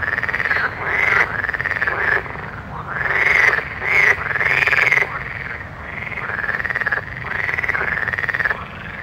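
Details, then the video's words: Loud frog croaking at night, long arched calls rising and falling in swelling bursts every second or so, little other background noise. "Soothing Night Frog Sounds"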